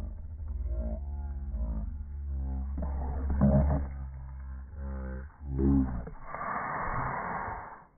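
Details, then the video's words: Boston Terriers tussling over a ball, growling almost without pause: layered guttural rumbles rise and fall in pitch, swelling twice, ending in a harsher, breathy snarl. "Boston Terrier Horror Movie"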